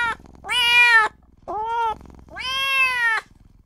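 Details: A small newborn kitten cries for its mother and owner. Three strident, wavering meows follow one another; the middle one is shorter and slightly lower. Only faint low background murmur fills the pauses.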